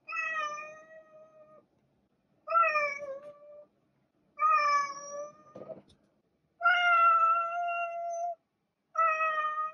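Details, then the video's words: Domestic cat meowing: five long harmonic meows, each about a second or more, steady and slightly falling in pitch, spaced roughly two seconds apart with silence between and a brief click midway. "Cat Meowing"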